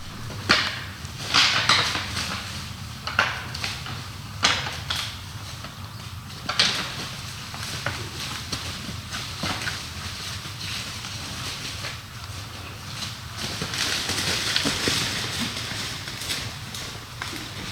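White-tailed deer bucks fighting, with sharp irregular clacks and rattles of antlers over rustling brush.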